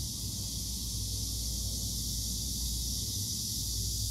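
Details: Cicadas buzzing by an old tree amid date-plum, morning glory, pumpkin leaves and chili: a dense, even, hissing high drone filling the whole stretch, layered over low-pitched background rumble.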